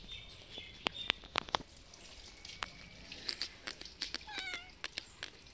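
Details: Hungry cats, three of them, come outside in the afternoon and wait for food, still meowing after finishing their meal. A brief harmonic meow sounds near the end, preceded by a series of sharp clicks and taps.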